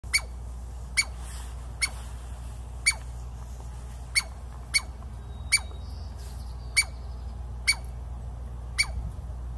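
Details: Douglas squirrel (Tamiasciurus douglasii), bark: angry scolding at an intruder.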